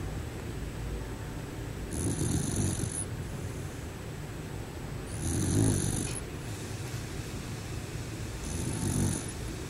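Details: Bear snoring while asleep; slow, low rasping breaths rise and fall roughly every three to four seconds, each swell a rough rumbling snore over steady background hiss.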